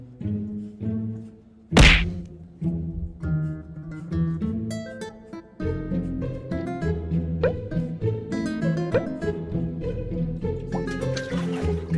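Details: Playful plucked-string music with cello and double bass pizzicato, opened by a loud thump near two seconds, with no animal calls heard.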